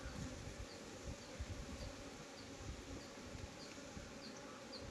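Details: Honey bees kept for honey in Nellore, heard at an open hive as a thick, continuous low drone of many wings, with faint high ticks repeating about every half second over the hum.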